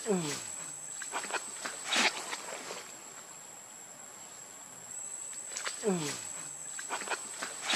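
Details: Baby monkey giving two short, falling, whining cries with stacked harmonics, about six seconds apart, among clicks and rustling, over a steady high-pitched electronic whine.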